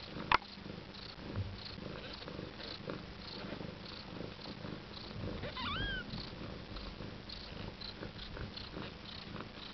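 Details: Indoor Siberian cat, a first-time mother beside her nine-day-old kittens, purring in a continuous soft rumble, with one short thin upward-curving mew past the midpoint and an early click.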